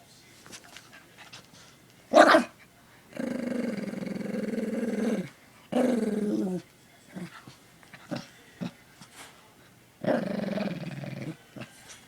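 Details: Dog belonging to a friend, set off by a dog whistle higher than people can hear: a single bark, then several long, rough growls with pauses between, and scattered small knocks and rustles.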